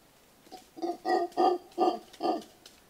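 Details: Mantled howler giving five harsh, rasping grunts in quick succession, each a short burst with rich harmonics, growing louder through the middle of the series before trailing off; no other sounds stand out.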